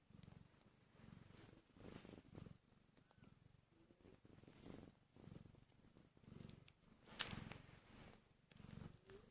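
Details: Newborn kittens, one hour after birth and hungry, give low rumbling purr-like pulses in soft bursts about every second, broken by brief pauses, with a sharp click near the end and faint rustling in a small indoor space.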